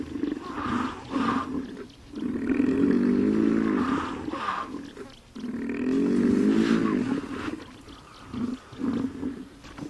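A hippopotamus gives deep, resonant honking bellows, with long drawn-out blasts broken by short grunting bursts.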